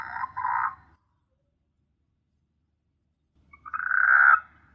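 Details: A frog gives two harsh, nasal croaks separated by a long pause, recorded at night on S. Hulhumeedhoo island in the Maldives, which teems with frogs.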